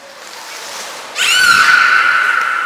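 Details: Captive beluga at the Port of Nagoya Public Aquarium during training on 11 January 2021, with Nana, Mirai and Niko. Faint hiss gives way to an abrupt broadband burst, then a clear sustained whistle steadies at one pitch.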